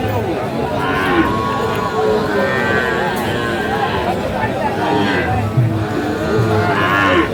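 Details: Bull calves of Friesian and cross breeds at the Aftabganj haat in Dinajpur on 2 October 2024; low moaning moos recur amid a dense market hubbub of voices.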